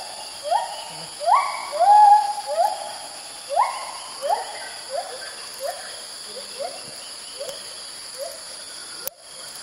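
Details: White-handed gibbon calling profusely in early morning while moving between branches in Kaeng Krachan National Park, Thailand; a group present. Clear rising hoots with upward-swooping notes, several loud in the first seconds then fading, steady high insect hum behind.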